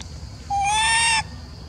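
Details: A single drawn-out tonal coo from a macaque that seems jealous when an old female gets food; steady, slightly rising pitch with strong harmonics, lasting under a second against a quiet low hum.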